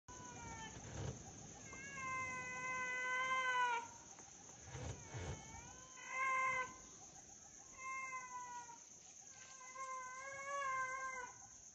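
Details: A young sloth bear in Wilpattu, Sri Lanka, cries for its mother in drawn-out, whining wails over a steady insect drone.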